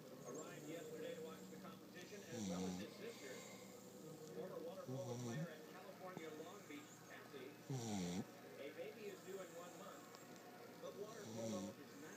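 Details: A puggle named Stanley snoring indoors: low rasping snores recur every few seconds, each a brief rough rumble with a nasal whistle, separated by quieter breathing over steady background hiss.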